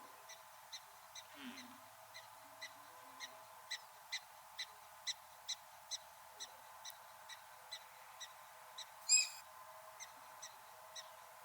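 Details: Black-tailed prairie dog calling an alarm in a prairie dog town at Theodore Roosevelt National Park, North Dakota, as a coyote approaches. Short, sharp chirps come about twice a second in a steady series over a faint, constant hum.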